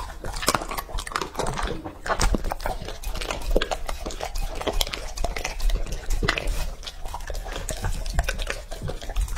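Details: Male English Labrador Retriever Lucky, two and a half years old, chewing raw meat in a small room: crisp biting clicks and squelching mastication in uneven bursts, with bowl knocks.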